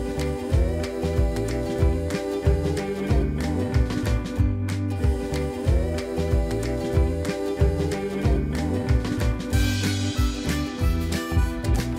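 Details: Upbeat soul-style music with singing and a pulsing bass line fills the whole stretch, and no animal sounds come through.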